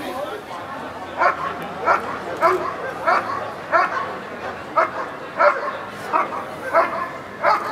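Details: Protection work at the NIAK 2014 trial: the dog Eran von Houthrack gives a long series of sharp barks, evenly spaced about every 0.6 seconds, over a background of voices and chatter.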